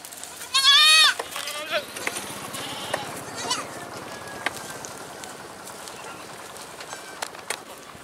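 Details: Goat giving one loud, wavering bleat with rich harmonics that rises then falls in under a second, followed by fainter scattered sounds and clicks.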